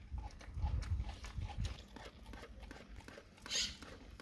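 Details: A dog chews raw cow tongue: a quick run of low, squelching bites early on, quieter gnawing after, and a short breathy hiss near the end.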